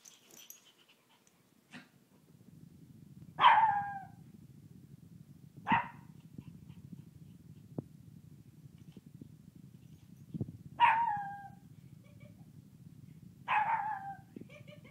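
A young Shih Tzu lets out brief, high howls that drop in pitch at the end, spaced a few seconds apart. A low, constant indoor hum runs underneath.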